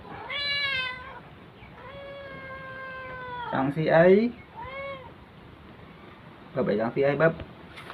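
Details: Domestic cat meowing while a young girl plays with it: three clear tonal meows, the first short, the second long and drawn out at steady pitch, the third brief and falling, with human voices breaking in between.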